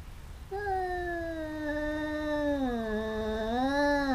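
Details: Domestic cat during a fight between two biting cats: a single steady low yowl, wavering slightly then dipping and rising again, over a soft background hiss.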